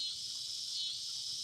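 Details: Loud cicadas outdoors on an evening fill the air with a steady, high-pitched buzzing drone.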